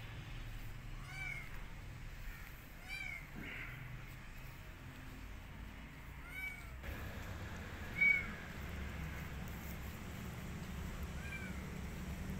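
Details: Quiet, widely spaced meows from a kitten rescued off the street that refuses food and wants to go back out, set against a constant low rumble with one short knock.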